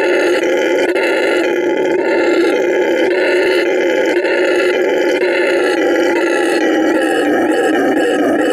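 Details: Sustained roaring from a male red howler monkey at La Senda Verde Animal Refuge in Bolivia, a harsh, throaty drone pulsing slightly about once a second without pause, demonstrating his vocal stamina.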